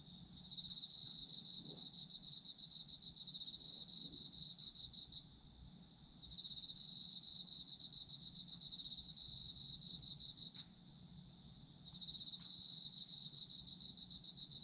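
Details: Autumn insects in a steady chorus: two bright high bands of rapid pulsed trilling that carry on without pause, dipping in loudness for a moment around the fifth, tenth and twelfth seconds, over a soft low background hum.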